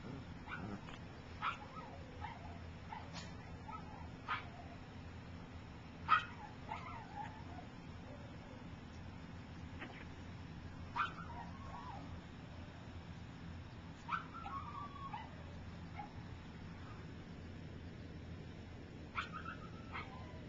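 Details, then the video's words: Gypsy's puppies at three weeks old, wobbling as they learn to walk, make scattered short high yips and whiny squeaks every second or two, some sliding downward, over a quiet background hum. "Gypsy Puppies - 3 Weeks Old"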